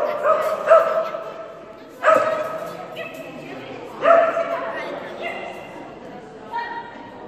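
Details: A female Kerry Blue Terrier named Phenix at agility class lets out scattered single barks, roughly every two seconds, each with a reverberant tail. Human voices fill the spaces between.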